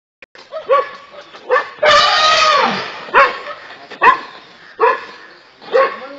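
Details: Small dogs barking at a running elephant: sharp, high yelping barks repeated about once a second, with a louder, rougher outburst near the middle of the recording and a person shouting "hey" nearby.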